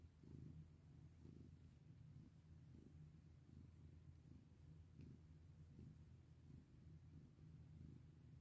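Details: Steady, deep purr of a house cat under petting, a low vibrating hum pulsing roughly once a second in time with breathing, otherwise quiet room.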